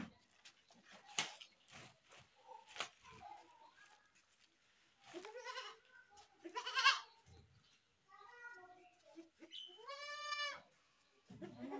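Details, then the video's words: Goat screaming amid clicks and rustling handling noise, with several wavering bleats of varying strength and a clear, strained, harmonic bleat near the end. "goat screaming"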